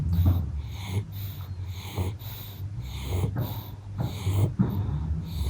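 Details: Pug asleep and resting after play, giving low wheezy snores and snorts in a steady rhythm roughly every second, breathing sounds clear against quiet indoor background.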